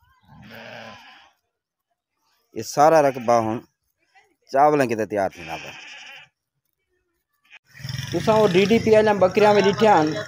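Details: Daira Din Panah goat bleating in two quavering, wavering bursts of about a second each, followed by a rougher, noisier stretch, with men talking in between.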